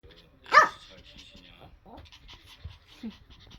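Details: Puppies playing indoors: one short, high yappy bark stands out, followed by faint scuffling, soft panting and quiet background noise.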